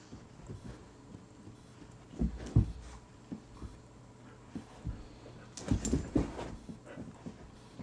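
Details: Blaise, a male Rhodesian Ridgeback found stray around 9 AM in the Meadowbrooke subdivision near Mauldin Middle School, Greenville, South Carolina. He gives soft, irregular breathy whimpers and huffs, with a louder cluster near the end over a quiet indoor-sounding background.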